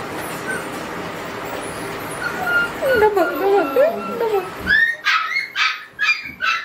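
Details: Red-brown Border Collie whining in thin rising and falling tones, then breaking into five sharp, bright barks about half a second apart.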